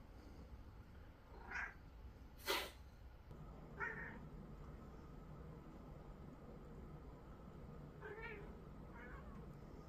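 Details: Cat reacting to a sniffle, giving several soft, short meows spaced a few seconds apart, with a sharp sniff near the start, over a steady background hum.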